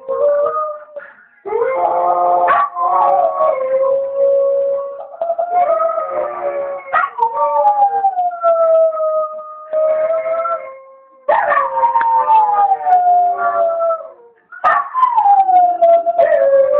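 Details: Dogs howling in chorus during their owner's ten-minute absence at the shop; overlapping wavering howls, each sweeping down in pitch, coming in repeated loud bouts separated by brief lulls.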